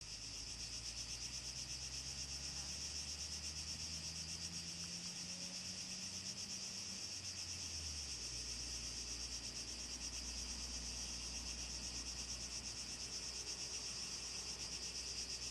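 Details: Cicadas in a typical southern Greek summer scene, 2014: a dense, steady, high-pitched buzzing chorus without pause, with a low droning engine-like hum rising and passing in the background midway.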